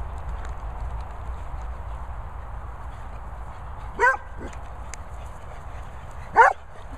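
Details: Playful dogs, among them a Beagle, Labrador, Poodle and Setter, fooling around at Worcestershire countryside kennels in England: two short, bright barks several seconds apart against a constant low rumble.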